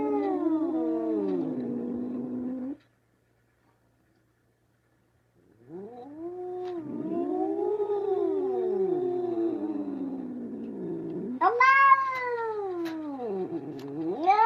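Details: Domestic cat meowing in long, wavering, moaning calls. A drawn-out cry comes first, then a silent gap of about three seconds, then several rising-and-falling yowls. A louder, higher, arched meow comes near the end.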